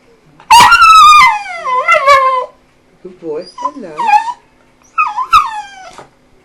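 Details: An eight-year-old pet dog making its "hello mama" sounds: a long, loud, wavering howl-like whine that bends downward, followed by softer, choppy, speech-like yips and one final short falling whine.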